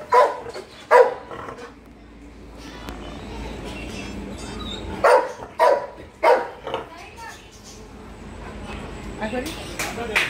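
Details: Labrador dog barking in short sharp bursts, around seven barks in uneven clusters over ten seconds, with a person speaking between them and quiet indoor background.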